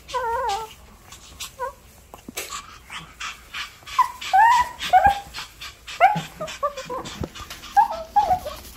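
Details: Puppy whining at home as its owner tries to leave, with warbling high whines near the start, then a run of short rising and falling cries and small yips. Faint household noise underneath.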